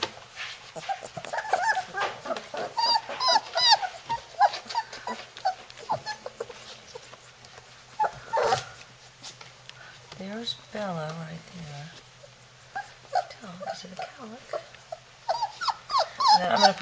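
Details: Three-week-old Labrador Retriever puppies in Florida, trying to break out of their puppy house: soft, rapid overlapping whimpers and thin whines over steady low hum and rustling scratches.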